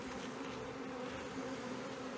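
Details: Colony of honey bees near Brno in 2022, after an inserted queen cell was found chewed open; continuous even buzzing drone with a low tone and its higher overtone, over a hiss of broad background noise.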